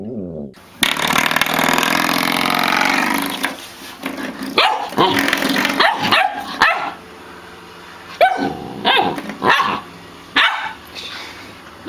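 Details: Samoyed letting out a run of short, irregular barks and yips after a few seconds of loud rushing noise, right after a person scolds it not to do it again.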